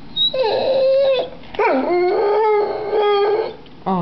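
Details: Pet dog "talking" to ask for food: two drawn-out, howl-like vocal phrases, each a steady mid-pitched tone with rich overtones. The first holds level; the second swoops down, then settles. A short whine follows at the end.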